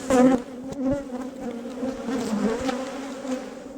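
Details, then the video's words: Bees at Valderejo nature reserve: a steady, droning hum with rich overtones, loudest in a close pass at the start, then swelling and fading as insects move around the microphone. "Erleak Valderejoko parke naturalean / Bees at Valderejo nature reserve"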